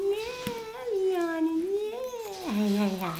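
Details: Three-week-old male apricot poodle puppies with eyes open but ears still closed; one gives a long, unbroken, wavering whine that rises and falls, then drops to a lower, steady moan near the end.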